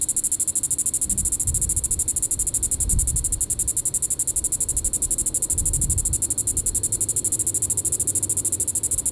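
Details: A Diceroprocta vitripennis cicada calls on a July 20, 2014 evening at Sand Hills State Park, Reno County, Kansas; an unbroken high rattling buzz of rapid pulses, with occasional low rumbles underneath.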